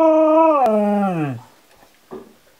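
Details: Husky dog vocalizing at home as if talking to its owner: one sustained harmonic howl holding steady, then sliding downward and fading, followed by a short faint yelp.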